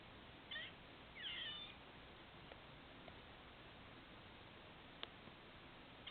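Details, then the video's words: A squirrel by a patio, seemingly hiccupping: two quick high squeaky bursts in the first two seconds, then scattered faint clicks and taps in otherwise quiet hiss. "Squirrel with hiccups"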